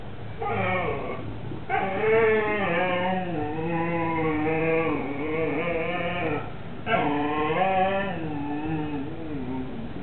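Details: Hugo, a Siberian Husky, begs his big brother Mau Mau to share a lamb bone, recorded 18 September 2007; long warbling, talkative whines waver up and down almost continuously in two extended phrases, rich in harmonics.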